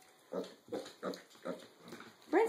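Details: Six-and-a-half-week-old mini pig piglets at breakfast with their siblings; a rhythmic series of five short, rough grunts about every third of a second, ending in a brief higher squeal, while a woman chats in the background.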